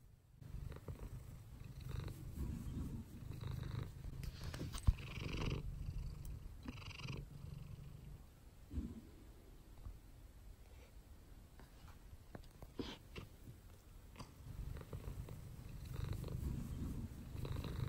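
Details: Mouse, a pet cat sunbathing in her favourite spot indoors, purrs steadily in a low, rumbling rhythm, with a few brief rustles and soft bursts in between.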